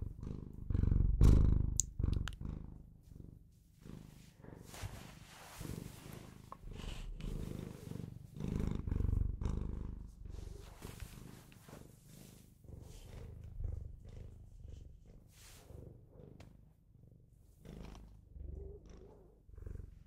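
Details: Domestic Bengal cat purring indoors, a deep pulsing rumble that continues with its breathing, loud at first, then softer, with occasional clicks and faint rustling.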